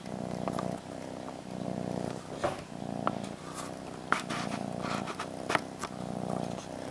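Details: Molly the cat content with her blanket, purring in a continuous low vibrating rhythm of alternating breaths, with scattered soft taps and rustling.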